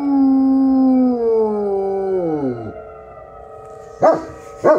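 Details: A Great Pyrenees howling deeply on the first Tuesday of the month. One long, low, steady howl slides downward and fades out after about three seconds, followed by two short, sharp barks.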